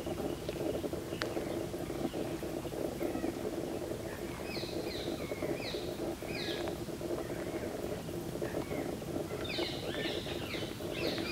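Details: Fruit bats roosting on a Kadam tree in Bharatpur Bird Sanctuary give short, high, down-slurred squeaky chirps in scattered clusters, busier near the end, over a steady low hum of background noise.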